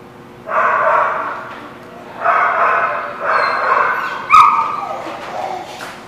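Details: Dogs at The Barking Lot on 13 October 2017, giving drawn-out harmonic barks or howls of about a second each, three bursts separated by short pauses, with a sharp click near the end.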